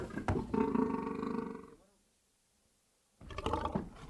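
A lion gives a deep, harmonic roar, falls silent, then roars again in a rougher burst.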